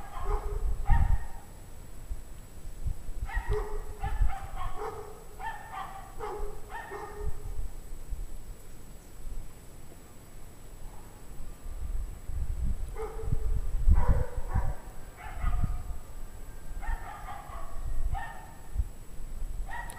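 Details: Unhappy pack of dogs heard at 5:00 PM on January 9, 2009, with the temperature at 17 degrees Fahrenheit; rapid runs of overlapping barks in two long bouts, a quiet gap between, over a low background rumble.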